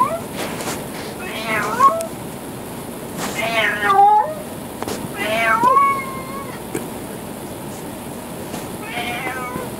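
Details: Adopted former stray tomcat, who keeps company with a vocal 13-year-old chocolate Labrador, giving long wavering yowls that climb and then slide down, four calls spread irregularly across the recording against constant background noise.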